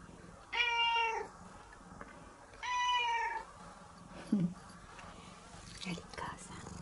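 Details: Indoor cat meowing sweetly while clinging affectionately to its owner; two drawn-out meows about two seconds apart, followed by a short low sound and faint rustling in a quiet room.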